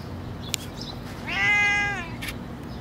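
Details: Hungry, skinny stray cat in the street giving one drawn-out, rising-then-falling meow lasting about half a second, over a steady background hiss with a few faint clicks.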